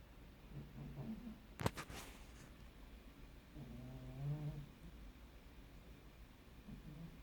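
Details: Pet cat snoring very quietly while asleep, giving a light grunting noise: soft, low, rough breaths repeated at intervals, each a buzzy harmonic rumble lasting about a second, with one sharp brief click near the start.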